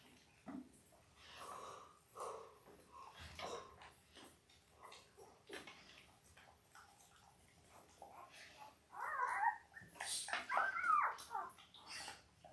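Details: Five-day-old Labrador Retriever puppies from Belle's litter of eight, born October 15, 2023, filmed indoors on a live puppy cam. Soft rustling and faint shuffling give way to a burst of high, squeaky whimpers near the end.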